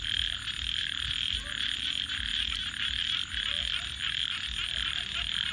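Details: Frogs calling at night beside a campfire: a dense, steady chorus of rapid pulsed croaks and trills with brief dips in loudness, plus faint low rumble and occasional soft pops from the crackling fire.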